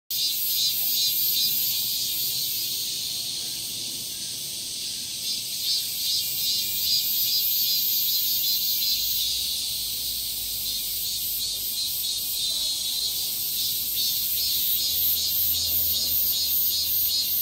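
Cicadas drone in a high, hissing buzz that throbs steadily without pause.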